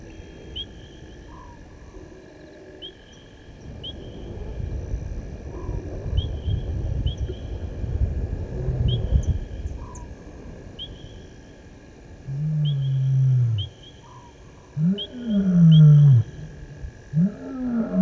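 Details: At 19:47 on 18 August 2022, at Gowrie dam waterhole on Djuma Game Reserve, Sabi Sand, South Africa, a male lion crossing the dam wall gives deep, moaning roars over an evening chorus of chirping insects.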